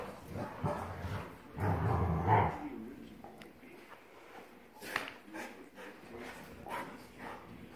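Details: A Tasmanian devil indoors in a house gives harsh, rasping growls in a loud opening burst, then softer grumbles.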